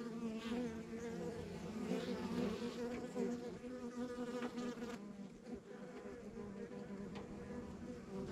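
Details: Droning honey bee colony at a rural backyard hive, many wings producing a layered low hum, louder bursts in the first half as bees pass nearby, then settling into a softer even buzz.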